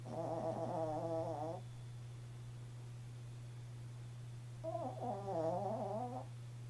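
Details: Chihuahua named Jarrod asleep indoors, snoring: two long, rattling, buzzy breaths about a second and a half each, the second following after a three-second pause, with a steady low electrical hum underneath.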